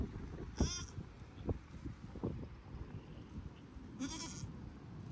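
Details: Baby registered Pygmy goats making new friends at Pygmy Harbor Farm in Knoxville, Tennessee, USA; two short, bright harmonic bleats, near the start and near the end, over a steady low rumble.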